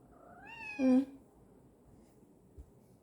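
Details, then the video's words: Domestic cat meowing insistently at its owner for following too slowly, one rising then falling harmonic meow about half a second long with a loud peak, the owner speaking Korean softly nearby. "고양이 집사가 늦게 따라온다고 계속 소리질러댄다"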